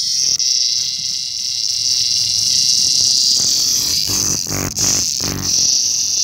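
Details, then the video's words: Lyric cicada (Neotibicen lyricen), a located individual later set free. A continuous shrill, sizzling drone runs throughout, while several dull thumps and rustles from handling break in near the end. "Neotibicen Lyricen"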